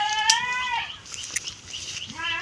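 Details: Goat in a Bangladeshi village, straying onto a neighbour's grass: one long wavering bleat at the start, then a short rising bleat at the end, with faint clicks between.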